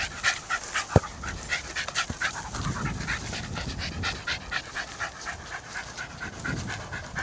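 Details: Jack Russell Terrier cross dribbling a football around a park, panting rapidly and steadily throughout, with a couple of sharp knocks near one and two seconds and soft rustling underneath.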